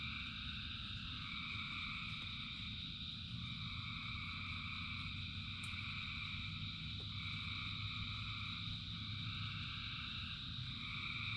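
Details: Thousands of frogs singing in the rain: a dense, unbroken chorus of layered, steady droning tones, some bands swelling and fading every few seconds, over a constant low rumble and hiss.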